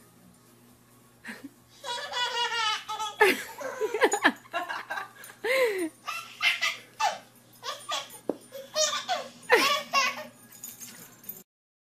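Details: Indoors, a baby giggles and belly-laughs in repeated bursts alongside adult speech and a low steady hum, with no animal sounds.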